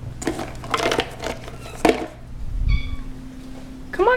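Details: Indoors, an Abyssinian cat asks for chicken treats with a brief, level meow, then a rising, strained meow at the end, mixed with a woman talking about giving his brother one and a low hum.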